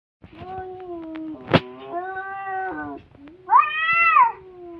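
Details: Domestic cats in a fight, one cat giving long wavering yowls over a steady low drone, then a sharp click-like burst and a final rising-falling wail near the end.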